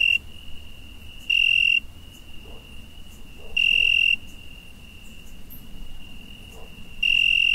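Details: Cricket calling at night in summer, its constant shrill trill punctuated by three loud, bright half-second bursts spaced a few seconds apart, against a soft low rumble.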